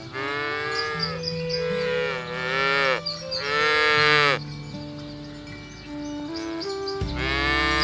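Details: Cows being herded through a rice field ditch toward the pen; a run of higher, strained, overlapping moos, one after another, with background music underneath.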